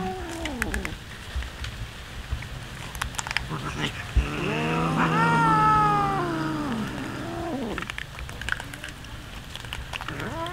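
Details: Hungry cats eating raw fish at a feeding. Short meows at the start, then a loud, sustained meow that climbs, holds and sinks over about two seconds. Smaller calls and faint background noise follow.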